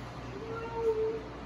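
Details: Female German Shepherd puppy reacting when her crate got invaded: a thin, steady whine drawn out for about a second, slightly rising in the middle, over a low indoor hum, with a person speaking just before and after.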